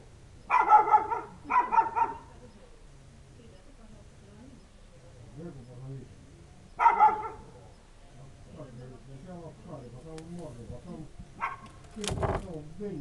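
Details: Village dog barking on a winter night, 3 January 2017, for no visible reason while waiting for its owner: two quick loud barks, then a third after a five-second pause, over a steady low hum, with a sharp knock near the end.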